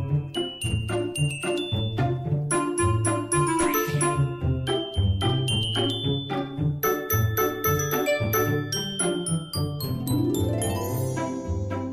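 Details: Bright mallet percussion music with chiming glockenspiel-like notes over a bouncy, repeating bass line; no animal voice can be picked out.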